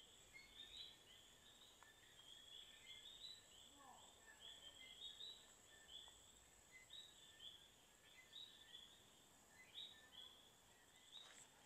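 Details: Around 4:30 pm in the Pterocarpus swamp forest at Palmas del Mar, Humacao, Puerto Rico, common coquís start calling: short, high two-note chirps overlapping steadily from many frogs.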